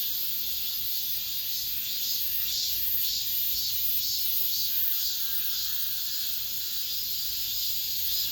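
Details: Cicada chorus heard in an apartment complex as summer ends, the last of the year: a steady sizzling drone with regular brighter pulses of loudness, about two per second in places.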